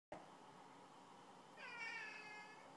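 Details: Domestic cat yelling to be let outside, indoors: a sudden onset then a drawn-out harmonic meow rising and holding in the second half, with a person's voice repeatedly saying "no" around it.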